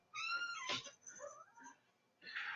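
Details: A domestic cat meowing at the owner's feet, loud to her: a half-second, steady, tonal meow rich in harmonics opens, followed by a sharp noisy burst, softer voiced sounds and a final breathy burst.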